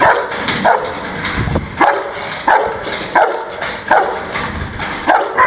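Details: An angry Rottweiler barking: short, harsh bursts repeated roughly once a second, each with a brief tonal edge, and quieter rough noise between barks.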